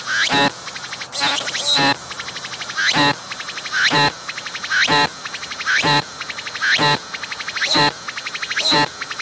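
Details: A single cicada singing up close on a tree, recorded with a 3D VR camera as it pumps its abdomen. Rhythmic, metallic phrases of a rising note snapping into a strong pulsed rasp recur about once per second.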